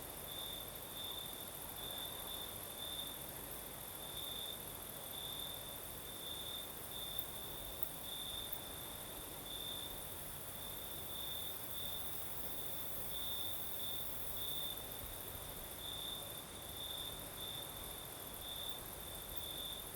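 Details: Southern Crimea at night, crickets singing in a light breeze: an unbroken high trill flickers in rapid bright pulses for the whole stretch, set against steady soft wind noise and a faint shimmering higher buzz.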